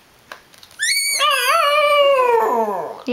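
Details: Brinkley, a pet dog, 'yells' at Sundae, angry that she squeaked her ball and came too close to his bed. After a near-silent start, one long tonal howl rises briefly, then slides slowly downward for about two seconds.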